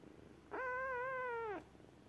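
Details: Kitten gives one drawn-out, clear tonal meow lasting about a second. It holds a steady pitch, then dips slightly at the end over a quiet indoor background.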